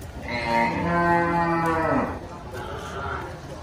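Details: Cattle at the Sibreh animal market in Aceh Besar, Indonesia, giving one long, nasal moo lasting about two seconds that falls at the end, with crowd murmur underneath.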